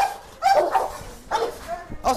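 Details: Tense meeting between Musso and a biting pitbull, a dog letting out three loud barks spaced roughly half a second to a second apart, faint voices in the background.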